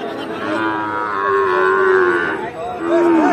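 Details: Sahiwal bull calves at Ambari cattle market in Parbatipur, Dinajpur, Bangladesh: a long, nasal, steady moo of about two seconds, followed by a shorter rising-falling second moo.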